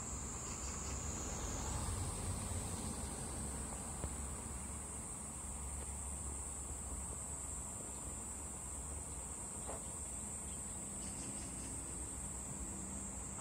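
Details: Cherry-tree cicada: an unbroken high-pitched whine that steps up slightly in pitch early on, then holds steady to the end, with low background rumble and a few soft clicks.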